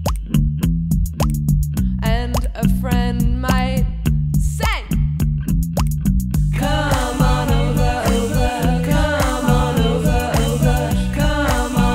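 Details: Upbeat music with a steady beat, plucked guitar-like chords and a singing voice fills the whole stretch, with no animal calls.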